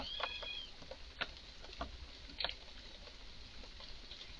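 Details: An excited red squirrel calling in a garden: a brief high whistled note opens the clip, followed by a few sharp isolated clicks over quiet background.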